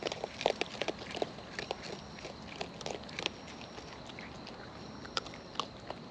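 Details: Raccoons in the wild feeding at close range, their chewing heard as sharp, dry crunches and clicks, densest in the first second and again around three and five seconds, with quieter gnawing between.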